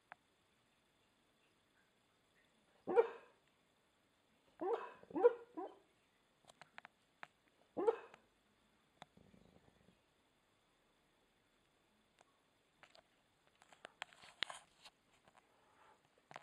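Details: American Staffordshire Terrier barking in its sleep: four or five muffled, low woofs, spaced unevenly over about five seconds, then soft snuffles and faint rustling.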